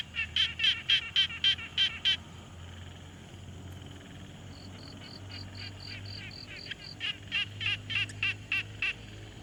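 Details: Pond frogs in a calm field recording made with a Tascam Portacapture X6: a bright run of raspy pulses, a pause filled by a thinner, higher tonal series, then the rasping pulses return.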